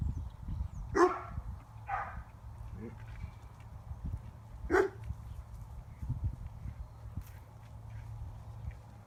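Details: Young female Spanish Mastiff, five months old, out in front of her flock warning off a neighbour; a few spaced barks, one soft low woof between them, under wind noise and faint voices.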